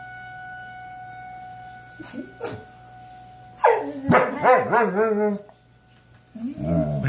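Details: Two German Shepherds howl at the weekly tornado test sirens, giving a wavering, yodelling howl over a steady, droning siren tone.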